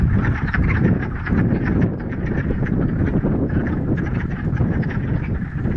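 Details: Chorus of many frogs in a Ramapo Mountains pond on spring's first warm day in mid-March, following a week of rain; thick, steady wall of low, duck-like clucks and croaks overlapping without a break.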